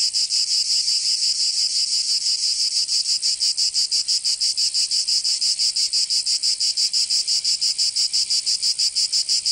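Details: Cicadas singing in summer in Provence, southern France: a loud, dense, high-pitched buzzing chorus pulsing rapidly and steadily, about three beats per second, with no other sounds.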